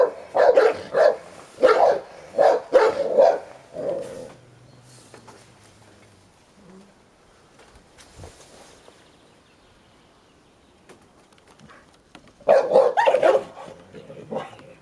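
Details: Hovawart Sherlock, aged ten, keeps hold of his toy while young American Staffordshire Terrier Heini stirs him up; a burst of half a dozen rapid barks, a long quiet stretch, then another short volley of barking.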